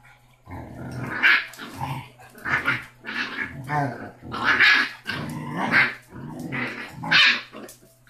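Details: Six-week-old Basset Hound puppy named Rocky, the smallest and loudest of a litter of five, growls and barks in rough bursts roughly every second, indoors, with a steady low electrical hum beneath.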